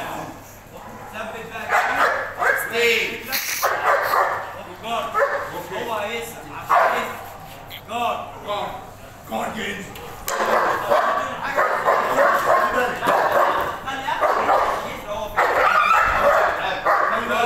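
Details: Boerboel, also called South African Mastiff, a pair living in Egypt, guarding on command: deep, loud barks repeated in rapid bursts, mixed with human speech and commands throughout, with background music.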